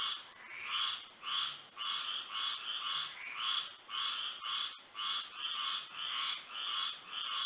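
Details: Frogs chorusing at night in moonlit Florida, their croaks surging in irregular waves about twice per second, over a persistent piercing high tone.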